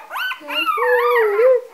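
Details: A three-day-old Golden Retriever puppy, from a litter of seven on a Vermont farm, gives a thin, wavering whine that climbs and sags while held, apparently hungry and needing to go back to its mother.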